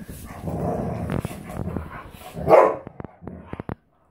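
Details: Standard Poodles romping together, three breeding females and Onyx; a murmur of low growling leads into one loud sharp bark near the middle, followed by scattered clicks and scuffles before silence.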